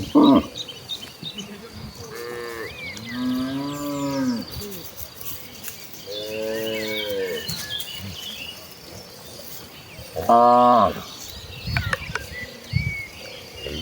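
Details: Tame village cattle in a herd walking to the rice-field pastures to graze, lowing repeatedly: several drawn-out harmonic moos, some rising then falling, spaced a few seconds apart, with bird chirps in the background.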